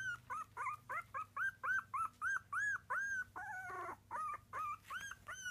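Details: A litter of Miniature Dachshund pups, three weeks old, cries in a steady run of arched, bell-shaped squeals roughly three per second. One harsher, rougher wail breaks the series midway, over a low hum.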